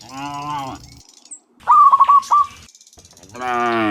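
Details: Dozens of cows walking home from the fields to the pen in the afternoon; a long low moo opens and another starts at the end, while a loud trilled bird chirp sequence fills the gap between them.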